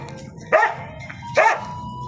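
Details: Two clear dog barks about a second apart, sharp and mid-pitched, over a low steady hum and a thin constant tone.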